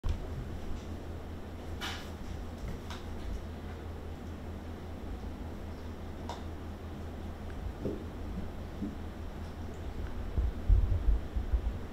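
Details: Steady fan hum fills a small indoor room, broken by a few sharp clicks and knocks and a faint murmur, with no animal voice heard.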